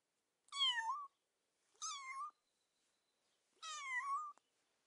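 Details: A kitten gives three high, thin meows, each rising slightly and about half a second long.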